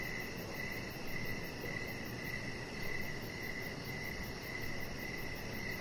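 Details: Crickets chirping in the evening beside a deck with decoration lights, where a chihuahua puppy lies. Short, shrill chirps pulse about twice a second over a steady high, rapid trill and a low, rumbling background hiss.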